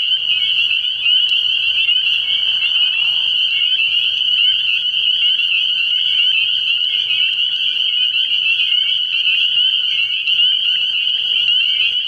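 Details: Night chorus of spring peepers at a frog pond early in the year, countless high piping peeps blending into a continuous shrill ring, with a brief soft rustle near the start and a faint low hum underneath.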